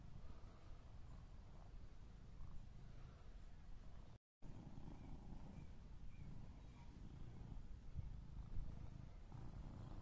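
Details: Coco, a British Shorthair cat, cuddling gently in a garden, gives a low, steady rumbling purr that runs almost without a break, with faint outdoor background noise.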